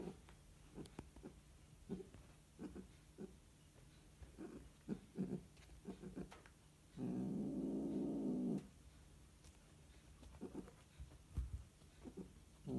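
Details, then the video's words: Mating Scottish Fold cats: mostly soft ticking and rustling, broken once by a single loud, low, harmonic growling wail lasting about a second and a half. "Scottish fold cats mating"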